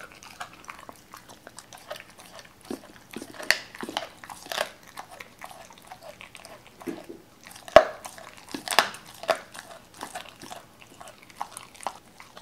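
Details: Doberman named Cola eating raw chicken indoors for the first time, wary at first; sharp crunchy bites and wet chewing come in irregular bursts, about one a second, with louder cracks near the eighth second in a quiet room.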